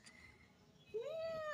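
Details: Domestic cat giving a single clear tonal meow that rises then levels off, starting abruptly after a quiet stretch of low room noise and cut off at the end.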